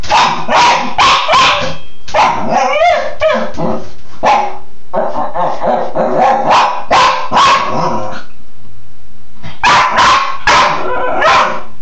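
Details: Bug, a Cairn terrier playing in the shower, lets out an almost continuous string of excited barks and yips, briefly pausing before another burst.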